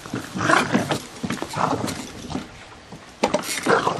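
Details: Gizmo the terrier attacking a lawnmower; harsh, noisy bark-growl bursts come in three clusters, near the start, the middle and the end, with rough rumbling between them.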